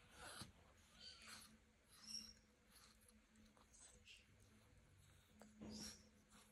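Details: Two tiny female XXL American Bully puppies playing make soft little grunts and brief squeaky whines amid scuffling noises.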